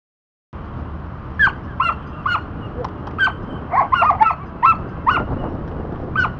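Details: Border Collie named Dante at disc dog training, practising the back vault: sharp, high barks burst out in an uneven series of about a dozen after a silent start, some doubled in quick pairs.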